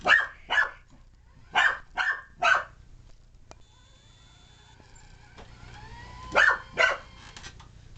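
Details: Excited puppy named Alfie barking while chasing a remote control car after Christmas; quick high yaps in clusters of two or three, a quiet gap with toy motor whine and siren tones, then two more yaps.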